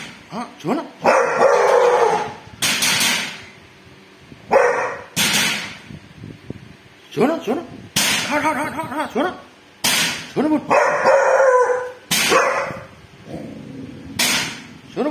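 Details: Dog named Bull barking at a thief, giving loud, harsh barks in irregular bursts about every one to two seconds, with human voices talking between the barks.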